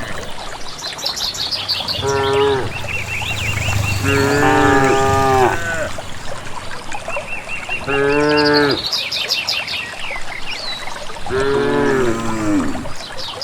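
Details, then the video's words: Cattle group moving toward pasture in a village valley, lowing repeatedly: four harmonic moos, some with falling tails, among chirping birds in the background. "suara asli khas sapi"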